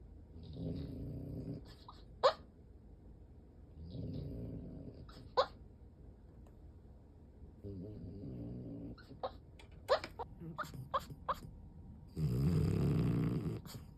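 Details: French Bulldog fast asleep, sprawled open-legged with eyes rolled back, snoring and sleep-talking; three low rasping snores roughly every three and a half seconds, then a run of clicky snorts and a loud, broad, rough final snore.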